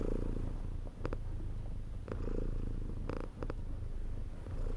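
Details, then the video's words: A cat's deep rumbling purr, continuous and even, swelling with each breath; a few short sharp clicks stand out in the middle. "CAT PURR 1 so COMFORTING"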